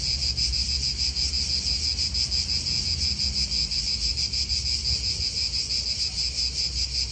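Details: A dense cicada chorus in an Italian park, shrill and continuous with quick regular pulses, light wind and distant cars beneath.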